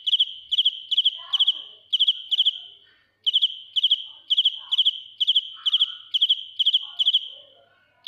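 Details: Loud field cricket song recorded close by: high, rasping chirps of three to four fast pulses, repeated about twice a second, with one brief break; faint low chirps underneath.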